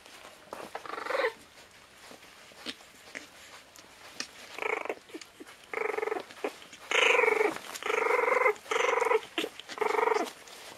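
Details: Border Terrier puppies, 25 days old, at the Iz Lesnogo Kraya kennel, give tonal, harmonic whines: a few short yelps early, then a series of longer, steady whimpers about half a second each, over soft rustling and clicking.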